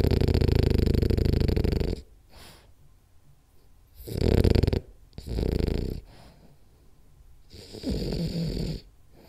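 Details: Napping French Bulldog Rolly snores indoors: a long, deep rasping snore followed by softer breaths, another rattling snore, then a shorter, fainter one near the end.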